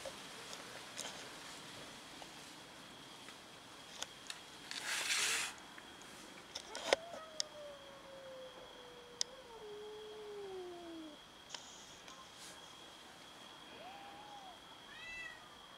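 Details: Domestic cats fighting over food; one long, drawn-out meow falling slowly in pitch, a short meow near the end, a burst of hissing noise, scattered clicks and knocks.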